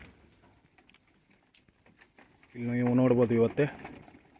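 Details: Tellicherry goats on a farm: after a quiet stretch, one wavering, quavering bleat rises for about a second, with low rural background noise.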